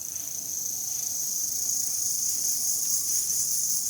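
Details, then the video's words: Crickets calling outdoors among trees in natural surroundings, a dense, steady high-pitched ringing trill that runs unbroken through the whole stretch with faint pulsing, no other clear sounds. "ঝিঁঝিঁ পোকার ডাক"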